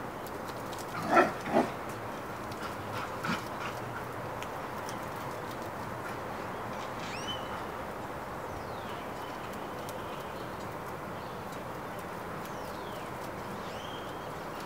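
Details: Backyard dog named Hera trying to get the neighbor's dog's attention to play: two sharp barks in quick succession early on, then a fainter third, followed by scattered bird chirps over a steady outdoor hiss.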